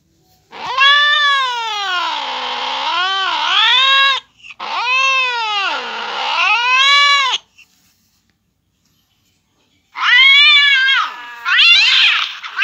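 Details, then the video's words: Cat yowls linked to a cat reacting to hearing a cat fight: two long, wavering, drawn-out wails of about three to four seconds each with rich harmonics, a pause, then shorter rising and falling cries. "cat's reaction to hear a cat fight"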